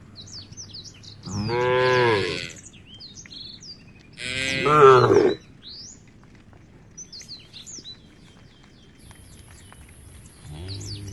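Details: Tame cows in a herd heading to a field beside a forest give two drawn-out, rich moos a couple of seconds apart, a third starting at the end, while birds twitter steadily overhead.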